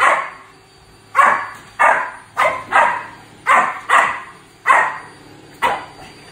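Sharp, bright yaps from a Shih Tzu come in uneven bursts, each bark quick and high-pitched. The barking is excited and irregular, with short pauses of quiet between the yaps.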